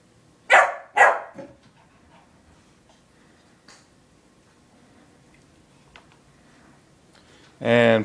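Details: A playful puppy trying to get a kitten to play gives two quick sharp barks and a shorter third, then quiet rustling, before a person speaks loudly at the end.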